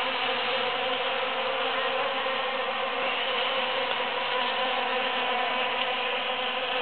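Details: Steady chorus of wingbeats as numerous bees forage among huge cactus flowers after the June 22, 2013 Super-Full Moon; thick, even, humming drone with faint shifting pitches, no pauses.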